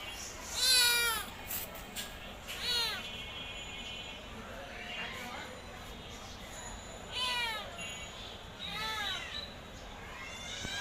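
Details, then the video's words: Domestic cat meowing, several arched harmonic meows spread through the recording, loudest near the start and again around seven and nine seconds, with faint background noise between calls. "Cat meowing sound effect"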